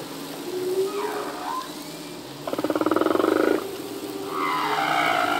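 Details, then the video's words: Humpback whale song from a singing male at sea: a low sliding moan, then a rapid pulsed buzzy unit, followed by a higher wavering tonal cry. "Whale song - full length humpback whale song"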